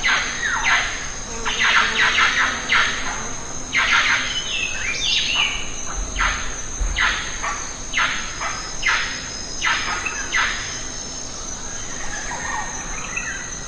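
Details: Wild lion-tailed macaques eating jackfruit in the Western Ghats give a long series of loud, harsh squeals, about two per second with brief pauses, fading toward the end, with a constant shrill insect chorus behind.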